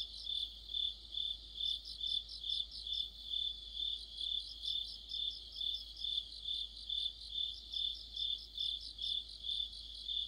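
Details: Autumn chorus of crickets and other insects near a streetlamp, deep in the season: steady high ringing chirps pulsing about twice a second, with overlapping faster trilled notes from several singers layered above.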